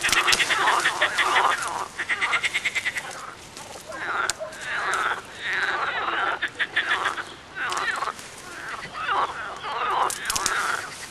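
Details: Several frogs croaking together in a short film, with bursts of rapid pulsed rattles alternating with harsher, nasal croaks, in a busy overlapping chorus.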